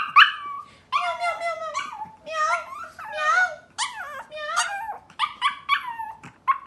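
A Pomeranian puppy howls in a string of high, wavering yowls that rise and fall.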